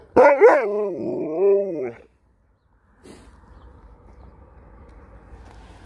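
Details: Husky vying with a Malamute over a treat lets out a long warbling, rising and falling vocal bark lasting two seconds, followed by quiet room noise.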